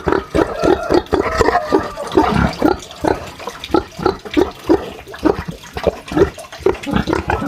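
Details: Farmyard pig in a sty, grunting steadily in short, rough, mid-pitched pulses roughly twice a second, with snuffling and slurping sounds between them.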